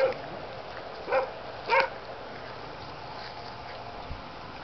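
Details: German Shepherd pups of the Aqua and Tiger litter, born 7/6/2012, letting out three short squeaky barks near the start, then mostly quiet background hiss with a faint thump.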